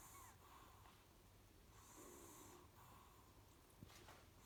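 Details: A Chihuahua mother asleep beside her pups snores gently, long soft hissing breaths rising and falling in slow rhythm, a brief faint squeak and a small tap near the end, steady hum underneath.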